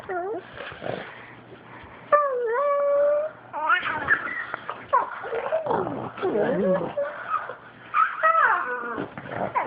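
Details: Gweeb, a fawn pug being teased indoors by Jezzy, a black pug, gives strange Wookie-like vocalisations: long wavering moans and sliding yelps, some held steady and others bending up and down, with snuffling between, on an Android phone.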